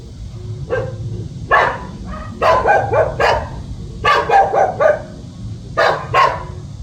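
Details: Puppy guarding its house gives scattered single barks building into quick clusters, some yelps with a whiny edge, pauses between groups, low steady hum behind.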